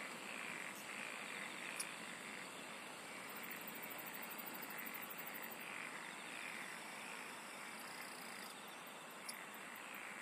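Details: Insects singing in a continuous dense chorus, a steady high shimmering trill with fine rapid pulsing, brief faint clicks and ticks scattered through, no other clear sounds.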